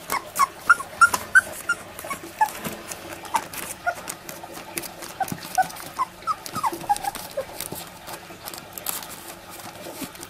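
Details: Miniature Labradoodle puppies, 20 days old, giving a steady run of thin, high squeaky whimpers and yips, several per second, rising and falling in pitch, with soft rustling between calls.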